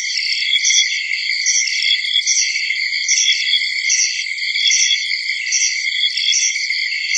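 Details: A dense, steady early-summer chorus of high-pitched insects trilling and chirping without pause.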